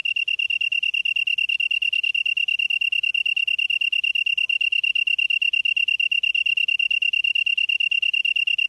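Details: Grass insect recorded in Cheonghak-ri, Byeollae-myeon, Namyangju-si, Gyeonggi-do, Korea, September 2016 at 7:59 PM; a steady, high, metallic pulsed trill runs without a break, rapid buzzy chirps repeating evenly, with nothing else audible.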